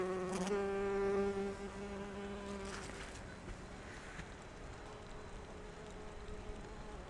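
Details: Bumblebee resembling a Japanese Bombus species, visiting rhododendron flowers for pollen: a loud, low, steady droning hum with rich overtones for nearly three seconds, then a quieter, fainter buzz continuing in the background.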